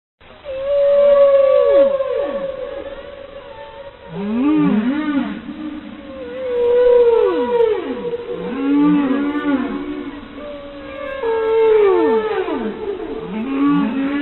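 A humpback whale sings long moaning notes that sweep down, mixed with shorter rising and falling whoops.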